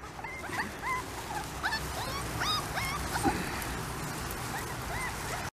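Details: Thirty-four-day-old Pembroke Welsh Corgi puppies out playing for the first time: a busy run of high, thin whimpers and squeaky yips, many short rising or falling whines overlapping through the clip, with soft rustling beneath.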